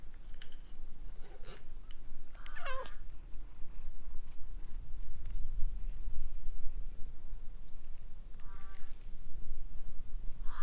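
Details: Outdoors by a gazebo, a stray cat being approached and brushed with a grooming brush, filmed on a GoPro HERO8, gives a bent, wavering meow early on, then two fainter meows near the end, amid rustling and steady low background noise.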